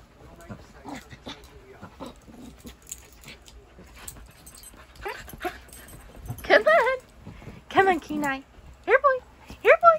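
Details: A Siberian Husky puppy called Kenai plays with a chasing shih tzu indoors near a bed. After quiet shuffling and speech, a run of high, bending yips and whines sounds in the last four seconds, roughly one per second.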